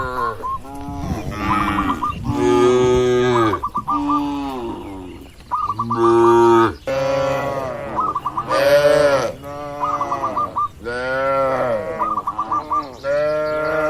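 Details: Cattle in a farm barn mooing over and over, loud, harmonic calls rising and falling, interleaved with bursts of short chirping notes and a faint steady hum.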